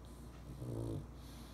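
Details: Pug sleeping in a dog bed taken from a poodle mix puppy; a single low, rumbling snore swelling and fading over about half a second against a quiet background hum.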